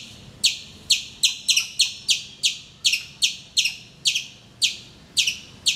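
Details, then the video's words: Morning calls of a squirrel perched in a mango tree in Calicut, Kerala, India: bright, clipped high chips spaced roughly half a second apart, some doubled, over a quiet background. "Nature's alarm clock - my squirrel friend"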